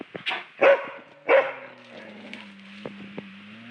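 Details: Asian black bear making two loud, breathy huffing bursts about half a second apart, with smaller clicks and a steady low droning tone running underneath through the rest of the clip.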